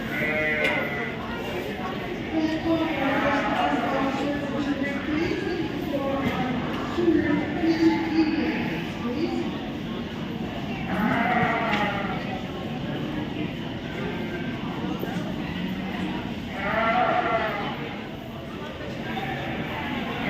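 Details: Several sheep at the Royal Winter Fair 2023 in Toronto, Canada, bleat in wavering, nasal calls, overlapping one another, with a person's voice faintly audible.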